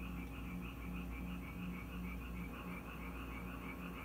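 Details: Frogs gathered at a house in Korea during rain, producing quick, evenly spaced croaking pulses several times a second within an overlapping chorus, over a continuous low drone.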